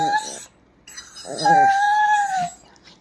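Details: Pet dog Kiko, urged in Bengali by a woman to say "ma", answers with a long, steady, whistle-like howled note that sags in pitch at the end, after a shorter tonal yelp. Her speech comes before and after.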